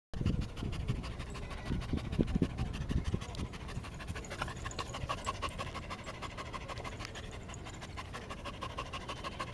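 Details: Border Collie resting, panting steadily in quick rhythmic breaths about twice per second, with a few louder low thumps early on and soft breathy noise throughout.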